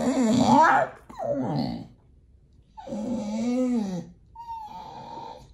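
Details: Pit Bull begging for food at feeding time indoors, giving several short whining calls: a wavering whimper, a rising-falling moan, and a thin steady whine, each about a second long with pauses between.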